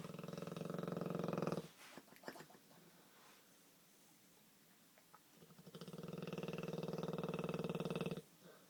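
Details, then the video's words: Olde English Bulldogge, a pet dog, snoring like a man indoors: two long, loud rasping snores with a harmonic buzz, the first cut off after about one and a half seconds, then a quiet gap with a few soft clicks before the second snore. "Olde English Bulldog Snores like a Man"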